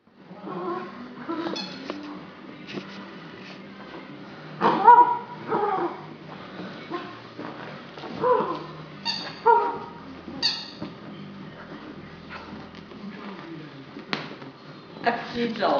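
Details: Female Irish Setter puppy, nine weeks old, playing with a new toy indoors: high harmonic whines and short yips in irregular bursts, mixed with squeaks from the toy and soft rustling.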